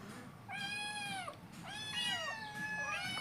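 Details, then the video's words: Hungry kittens at breakfast time, meowing for food: three long, loud meows, each slightly rising then falling, about one a second, with faint music and a soft hum beneath. "hungry kittens breakfast"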